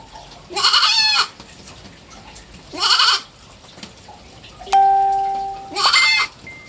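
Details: Young pet goat, three months old, bleating three times in quavering harmonic cries, with a clear ringing bell-like chime between the second and third calls.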